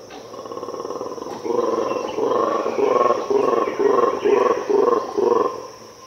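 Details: Mantled guereza (black and white colobus) roaring in an Ethiopian cloud forest early in the morning: a quiet start, then a loud run of about eight evenly spaced, guttural pulsed bursts, with insects droning high above.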